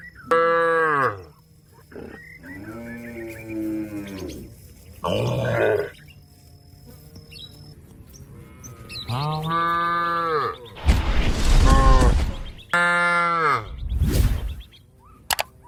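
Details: A cow calls a companion grazing in the field with repeated deep, drawn-out moos, some rising then falling, several spaced a few seconds apart. Rougher, louder bellowing bursts come near the end.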